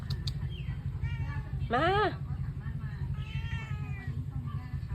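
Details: Domestic cat meowing outdoors as rain approaches, being coaxed inside: one loud rising-then-falling meow mid-clip, with softer meows around it, a woman talking and a steady low hum underneath.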